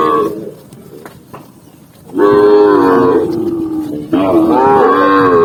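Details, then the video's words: Cow in a green forest setting, quiet start then two loud, long, strongly harmonic moos, the second bending down and up in pitch. "the sound of a cow, cow sound cow Moo"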